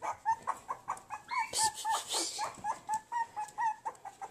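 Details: Puppies, two Havanese and one bolonka, whining in rapid regular pulses about four per second, with a louder burst of rough yelping mid-way over a noisy background.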